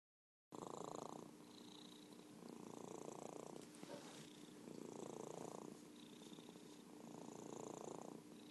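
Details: Merlin, an orange tabby cat and champion purrer, purring steadily in long alternating breaths, each swell of rough, low rumbling lasting about a second and a half, with a faint steady hum underneath.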